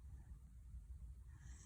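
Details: A sleeping young Welsh Corgi, which started snoring after a sudden growth spurt, snores softly with a low rumbling breath that rises and falls.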